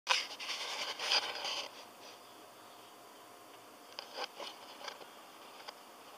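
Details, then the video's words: Sleeping pet cat snoring loudly indoors, twitching as it sleeps: breathy, hissing bursts of noise over about two seconds, a quiet pause, then a fainter run of short snorts near the end. "貓咪打呼很大聲! Cat snores~"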